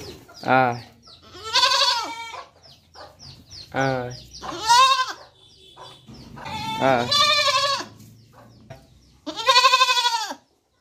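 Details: Goat kid calling repeatedly: a series of tremulous, nasal bleats, some short and dropping in pitch, others longer and wavering, coming every one to three seconds over about ten seconds.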